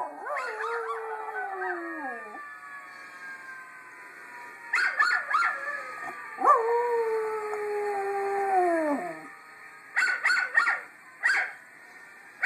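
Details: A Miniature Schnauzer gives long, wavering howls that slide downward, answering another Schnauzer howling in a video.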